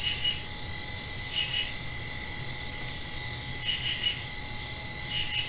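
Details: After rain at night, crickets produce a sustained piercing trill with rhythmic bursts of quick chirps about every one to two seconds, forming a constant insect chorus.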